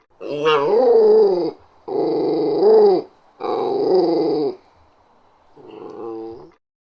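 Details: Small Westie Terrier dog growls: three sustained harsh growls, the first starting with a sharp whiny rise, then a quieter, shorter rumble after a pause.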